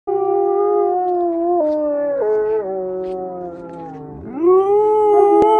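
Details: Alaskan Malamute howling: a long, clear, tonal howl holding steady, stepping down in pitch twice, then dipping low and sweeping back up into a rising, stronger final note, with rich overtones and no other clear sounds.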